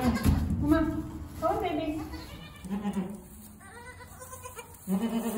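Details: Goat on a homestead during birth, giving wavering, harmonic-rich bleats in short bursts of about half a second, four separated by pauses, with a woman's voice speaking softly between them.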